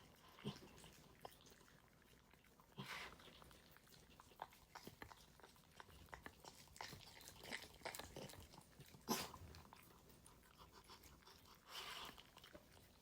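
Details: A pet dog eating its food indoors, shown unedited: a steady run of sharp crunching clicks and chewing noises, some in quick bursts, with brief louder crackles around the bowl in a small quiet room.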